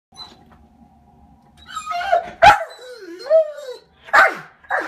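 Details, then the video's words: Pet German Shorthaired Pointer, about five years old, indoors reacting to birds taunting it from a skylight: rising and falling whines with a few sharp barks, faint steady hum beneath. "German Shorthaired Pointer Dog Taunted by Birds"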